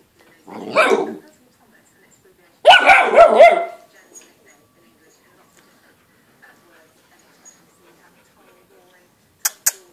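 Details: A Golden Retriever puppy, nine weeks old, having fun with a plate, lets out two short, harsh, high-pitched barks about two seconds apart, then near silence broken by a couple of sharp clicks at the end.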